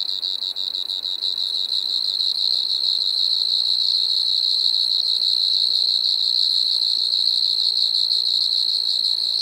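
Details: A Striped Marsh-cricket recorded at Maggia, Switzerland, 1 September 2023, giving an unbroken shrill trill, even in pitch and loudness throughout, over quiet background.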